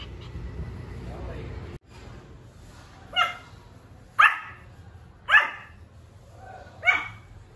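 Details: Pomeranian puppy giving some of its first little barks: four short, high yaps about a second apart, each with a rising-then-falling tone, over a low steady hum after a brief burst of background noise.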